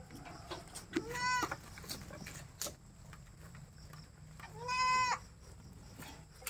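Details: Goats at a goat pen, reached late at night: two loud, nasal bleats with rich harmonics, the first around one second in and the second, longer and rising then falling, near five seconds, over faint background hiss and scattered clicks.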